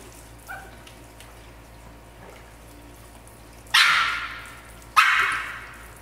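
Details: Norfolk Terriers Zeus and Hera playing in a pool at The FQ; two loud, sharp barks land about a second apart late in the recording over faint splashing water and a steady low hum.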